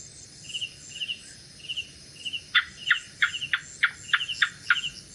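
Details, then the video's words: Lizard at night, a gecko giving a quick series of sharp clicking chirps, about eight in a row and speeding slightly, set against a steady background of high trilling insects. "Gecko Sounds | Gecko Sound Effects | Lizard Sound At Night"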